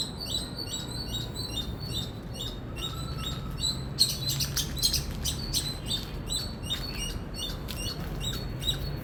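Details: Indian squirrel chirping: quick series of shrill, short high notes, growing louder and more crowded midway, over a continuous low rumble.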